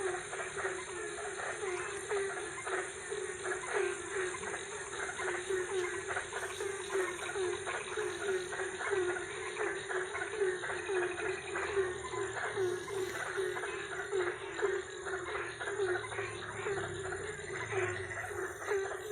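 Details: Night-time frog chorus from Ambon, Indonesia, with dense, rapid croaks pulsing without pause. A continuous high-pitched hiss and faint background rustling run beneath them.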